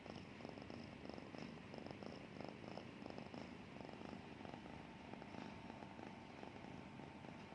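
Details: Snoring from a sleeping cat, a soft steady low rumble made of quick pulses, with a thin electrical-sounding hum running underneath and no pauses.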